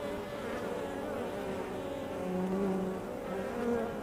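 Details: Constant hum of honey bees at a hive entrance, with stacked droning tones. A lower, louder buzz from a nearby bee stands out around the middle before the drone settles again.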